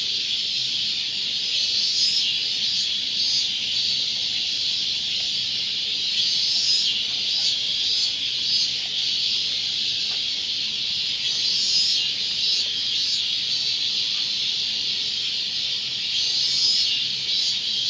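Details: Robust cicadas sing at Gongenyama Bird Sanctuary, Japan, on 30 August 2020. A dense, shrill, continuous buzzing fills the whole stretch and swells louder roughly every five seconds, with faint pulsing rasps above it.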